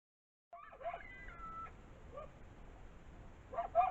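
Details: Several coyotes just up the hill from a house give thin, wavering howls and short high yips at a distance; the owner believes they were caught between the house and a mountain lion nearby.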